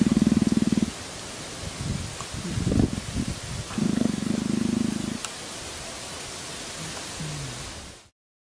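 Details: Leopard purring: low, rapidly pulsed rumbling in two bursts, about one second at the start and again for over a second midway, with softer throaty rasps between them and a steady background hiss throughout.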